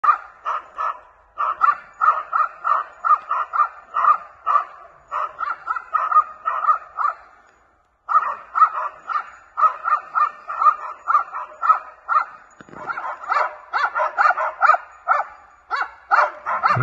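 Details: Two seven-month-old West Siberian Laikas, Alym and Aktay, baying at a maral (red deer) during a hunt in Tver region: steady volleys of sharp barks about three per second, a short pause, then renewed, more overlapping barking.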